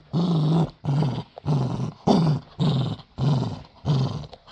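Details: Pet dachshund growling during a tug of war game over one of his toys, a low rumbling growl in six pulsed bursts of about half a second each, separated by short pauses.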